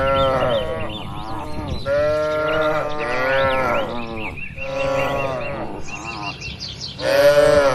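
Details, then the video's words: Tame cattle kept in a livestock pen moo almost without pause, several animals overlapping in drawn-out, wavering lowing, while small birds chirp faintly in the background. "Moo Moo Suara Sapi Lucu"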